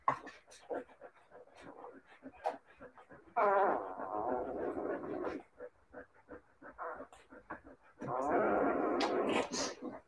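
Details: Several Siberian Husky puppies let out drawn-out, quavering howls in two long bouts, with low grumbling growls and short whimpers in between.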